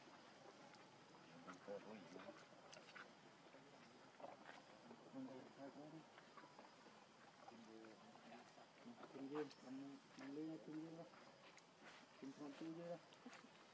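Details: Hungry infant macaque Leo begging his mother for milk, giving wobbling, tremulous cries in scattered runs over a steady outdoor background, strongest in the second half.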